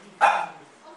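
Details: Hikari Taro, a French bulldog kept at a company in Yanagawa, Date City, Fukushima, gives one short, sharp bark that fades out quickly in a quiet room.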